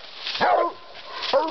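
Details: Redbone Coonhound Hill Billy Jack on a night raccoon hunt on a farm on 14 June 2012, hunting alongside a Walker hound: two short, hoarse barks about a second apart, with a man speaking nearby.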